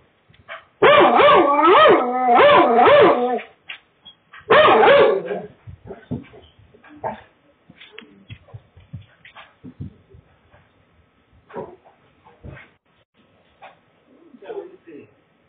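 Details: Dog barking suddenly and loudly during a half-hour neighbourhood walk in chilly wind: two quick runs of sharp, harmonic barks, then a shorter burst, fading into footsteps and quiet rustling.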